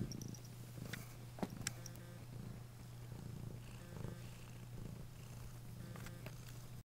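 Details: Cat purring steadily and quietly at close range, a continuous low hum with gentle rhythmic pulsing, broken by a few soft clicks and rustles.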